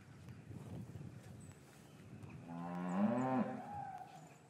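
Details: Winter afternoon in an English cattle yard with calves separated from their mothers: after a stretch of low rustling and movement, one cow lets out a full, slightly rising moo lasting about a second before fading.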